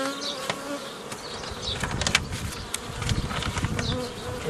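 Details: Honey bees buzzing on 15 May 2018 while a beekeeper forms nucleus colonies the old way from a previously formed foraging swarm; a steady low hum with sharp handling knocks and clicks throughout.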